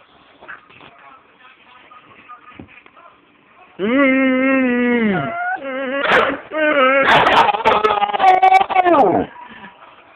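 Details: A pet dog screams and whines at its owner for a cereal bowl indoors: a long, wavering, harmonic-rich scream, then a burst of choppy, rising and falling yelps and whines, with a person talking softly beforehand.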